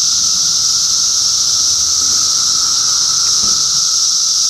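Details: Cicadas in Middlesex County, New Jersey during June 2013 fill the air with a steady high-pitched hiss and a softer lower drone. A faint soft knock is heard near the end.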